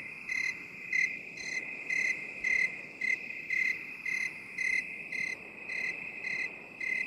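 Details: Cricket chirps in binaural 8D sound: short, bright pulses come roughly twice a second over an unbroken high-pitched trill, with a soft hiss beneath.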